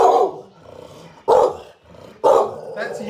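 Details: Lizzie, a Staffordshire Bull Terrier crossed with a Rhodesian Ridgeback, defends her wheelchair-bound owner from a suspicious stranger: three sharp, loud barks about one second apart, each trailing into a softer rumble.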